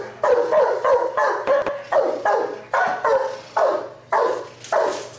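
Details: Giant Schnauzer police working dog barking steadily, about nine deep, harsh barks in five seconds at a fairly even pace, with little else heard.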